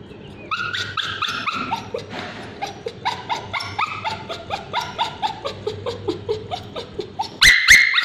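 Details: Bichon Frise male with scabies crying out during ointment on his tail: steady series of falling, high-pitched yelps and whines, roughly four per second, ending in a sudden loud shriek.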